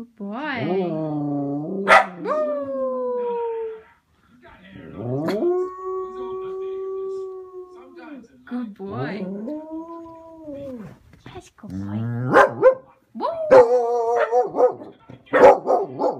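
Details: A male Cardigan Welsh Corgi gives a series of drawn-out, wavering howls, each held steady before sliding downward, with shorter yips and rougher, broken notes between the longer howls.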